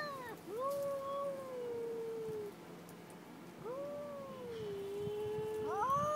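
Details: Aggressive pair of cats exchanging long, wavering yowls, each rising and then sagging over about two seconds, with a fresh wail starting roughly every three seconds.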